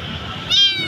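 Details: Abandoned kitten alone at a roadside, crying very loudly before being caught for rescue; a single short, shrill meow with bright stacked overtones rises in over a faint low rumble.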